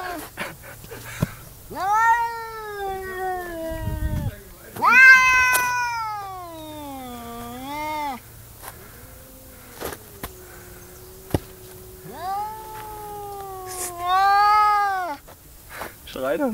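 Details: Cat crying with a series of drawn-out, whining meows, each lasting one to three seconds and sliding downward in pitch, separated by short pauses. Faint rustling and clicks are in the background.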